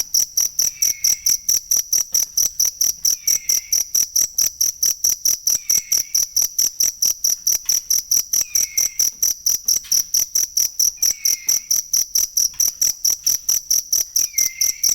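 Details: Cricket calling, a recording for teaching songbirds (masteran): a loud, piercing pulse train beating fast and regularly, accompanied by a quiet descending whistle about every two and a half seconds.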